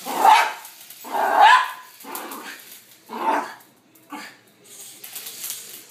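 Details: Poodle in a Katy Perry costume barks at a helicopter overhead: a few broad, somewhat muffled barks, two louder ones early, then fainter ones against a steady background rumble.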